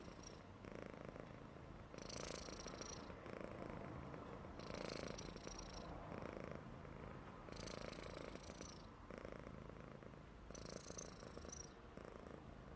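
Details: A happy Persian cat snores in a steady low rumble, each breath rising into a hissy rasp.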